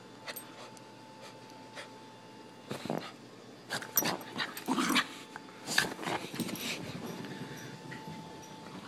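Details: Lexi, a Miniature Pinscher excited for the camera indoors, pants and then breaks into a run of quick, sharp yips and barks in the middle, with whimpering tones between them.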